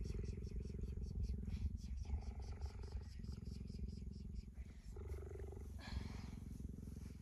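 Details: Affectionate pet cheetah cuddling its owner on a blanket gives a continuous low, throbbing purr with a fast even pulse, briefly dipping in loudness, with faint traces of a woman's voice.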